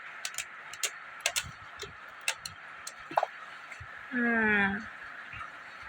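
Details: Kittens Alex and Simbu after a play fight: soft tapping and Tamil speech, then one drawn-out, slightly falling meow lasting about half a second near the end.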